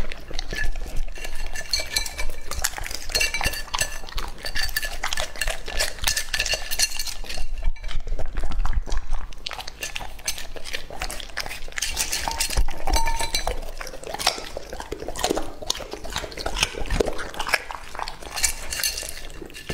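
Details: Lucky, a two-and-a-half-year-old English-type Labrador Retriever, eating raw meat in an immersive close-miked session: dense crunching and wet chewing clicks packed tightly together, with a clink of the bowl and a brief quieter pause midway.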